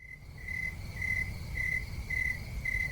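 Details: Crickets in the United States chirp in steady pulsed bursts about twice a second, a high ringing trill, over a low rumble of background noise.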